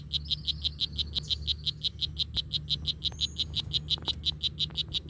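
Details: Rapid, even train of short buzzy chirps from a strawberry poison dart frog, about five per second, running through the whole recording above a constant low hum, with a faint high whistle from another source partway through.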